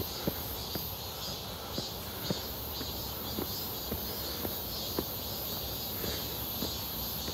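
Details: Cicadas buzzing near Seonbawi in midsummer heat, 1 August 2023: a constant, even, high whine holds throughout, with softer scattered footstep taps and clicks beneath.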